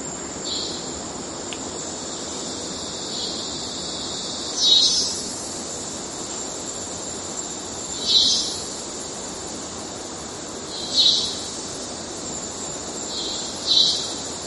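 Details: Cicada in the Amazon forest of Venezuela, singing with a robot-like quality: a steady, high, hissing drone runs throughout, broken by louder metallic buzzy bursts about every three seconds, five bursts in all.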